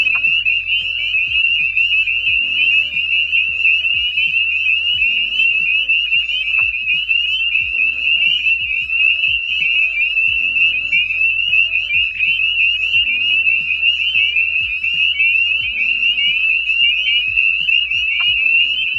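A dense spring peeper chorus, high piping peeps blending into one steady shrill ringing, over soft background music.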